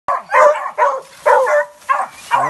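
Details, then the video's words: Hunting dogs barking at a manicou (opossum) during the 2020-2021 hunting season: about six sharp, harmonic barks in quick succession, the last one lower and drawn out. "Dogs bark a manicoo"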